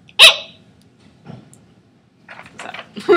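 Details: American pika, a small mammal closely related to rabbits, played back as an example: one short, sharp, bright squeak right at the start, then faint scattered murmuring voices.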